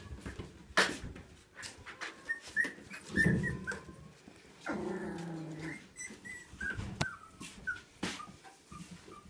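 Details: Siberian Husky puppy, 22 days old, born 13 April 2016, giving soft high whimpers and a short, lower, harmonic whining cry midway, with scattered clicks and rustling indoors.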